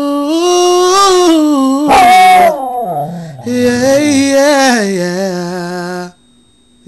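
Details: Pet dog howling along as its owner sings: long, drawn-out, wavering tones that slide downward, interlaced with the person's voice, then breaking off before a quiet end.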